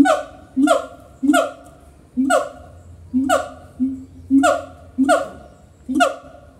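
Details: Siamangs (Symphalangus syndactylus) at Semarang Zoo trade loud, ringing barks back and forth in a call exchange, each harsh call repeated about once a second.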